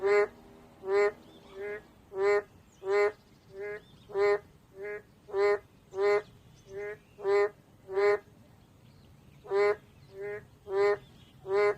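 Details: Steady run of boreal digging frog calls, clipped nasal honks about every half second, some loud and some fainter, continuing for nearly twelve seconds.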